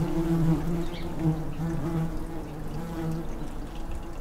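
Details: Fanning tree bumblebee at the entrance of a garden nestbox colony, blowing cool air on a hot day; constant low hum with slight rises and dips in pitch, several overlapping buzzing tones.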